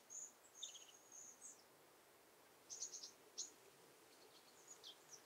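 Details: Saddle-backed bush-cricket (Ephippiger ephippiger) at Pfaffstätten, Austria, 7 August 2022, recorded with an ultrasound detector: irregular high, thin chirps and scratchy bursts in small clusters, separated by a silent gap, over faint background hiss.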